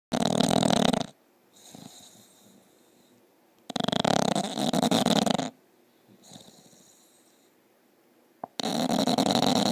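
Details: Bulldog snoring loudly indoors: three long, rough, broadband snores of about one to two seconds each, separated by quieter gaps with faint whistling breaths between them.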